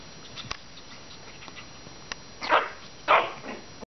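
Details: Five-week-old Maltese puppies at play give two short, sharp yips about half a second apart near the end, after faint scratchy rustling and a few clicks.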